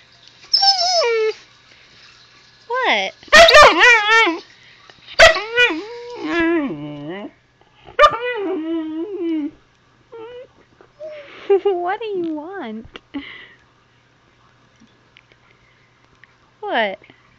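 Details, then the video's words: Zoey the husky puppy chatters with her owner, who keeps asking what she wants and calls her dirty: a run of rising and falling howls, yips and whiny grumbles in irregular bursts, with sharp yelps and pauses between, the owner's voice audible. "Zoey the Husky talking to me"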